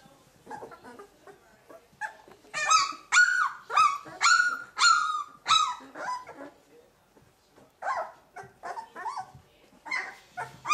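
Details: Two-week-old puppies from Limit's litter of thirteen, in their second week of life, giving high, harmonic whines and yelps that rise then drop, in loud bursts about every half second, separated by brief quiet gaps.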